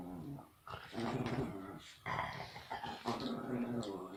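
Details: Pet dog growling while playing with toys indoors; low, rumbling, continuous growls in three bursts separated by short pauses, with some breathy, higher noise over them.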